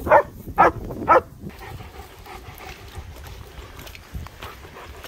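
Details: Two German Shepherds playing outdoors in sunshine in the Scottish Borders near Hawick, filmed on a phone: three short, loud barks about half a second apart, then quiet with light rustling and low outdoor noise.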